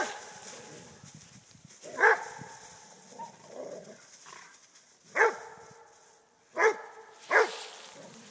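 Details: Friendly play fight between Rhodesian Ridgeback father Akono and son Ghandi, joined by their friend Paul; four sharp, clipped barks at uneven intervals with quiet scuffling and panting-like noise in between.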